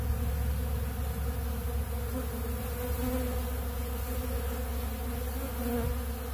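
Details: Honeybees crowding a big blue pollen feeder, feeding on ultra bee pollen, create a thick, steady low buzz with faint wavering tones drifting above the drone.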